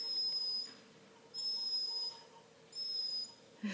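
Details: A Redbone Coonhound puppy, called the whiniest puppy ever, gives three long, level, piercing whines spaced about a second and a half apart, each thin and whistle-like, ending with a brief noisy scuff.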